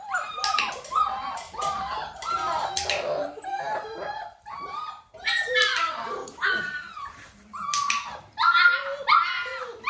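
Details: Dalmatian puppies nearly six weeks old, with their mother Arya, during clicker training indoors; several pups give overlapping high whines and yelps, short falling and rising cries in quick succession, with brief pauses between bursts.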